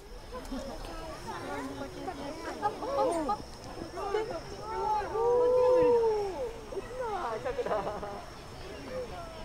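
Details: A siamang at Chiba Zoological Park, Japan, in September 2022, performing its display, gives loud, swooping whoops that rise and fall in quick, overlapping bursts.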